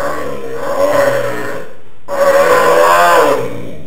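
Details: A pet dog's habitual non-barking sound: two long, low, rumbling groans, each swelling and fading, with a short silent gap between them and nothing else clearly audible.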